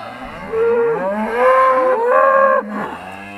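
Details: Trained Charolais cow in 2017, answering its owner's calls with drawn-out moos: quiet start, then three strong harmonic lowing phrases, each bending slightly upward before cutting off near the end.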